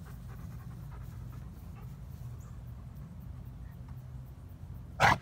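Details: Quiet, steady panting from Midnight, a black dog who arrived as a starving, frightened stray in December 2017 and was later adopted, ending in a sudden loud knock against a constant low background hum.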